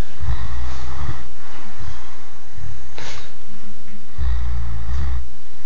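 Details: A three-year-old Great Dane snores in deep, rumbling bursts, each breath rattling low and steady.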